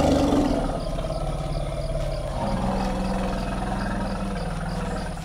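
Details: Two female forest elephants, Vamps and Myrtle, exchange greeting rumbles on meeting in the Dzanga forest clearing after a long separation; deep, harmonic-rich rumbles overlap and shift in pitch, with a loud onset easing into a sustained, layered drone.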